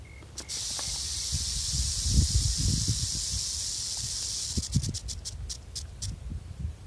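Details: Rattlesnake rattling beside a patrolled trail, scared and warning of its presence. A sustained dry buzzing rattle lasts about four seconds, then breaks into separate short pulses, with rustling and low rumbling underneath.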